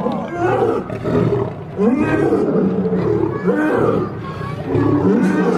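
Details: Two lions fighting: repeated drawn-out growling roars with wavering, rising and falling tones come in bursts about every second or two, over a steady low rumble and faint background voices.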